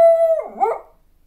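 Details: Howl from a young female household beagle, about a year and a half old: a steady held note continues briefly, then wavers and breaks into a rough, warbling, falling tail that fades out into silence.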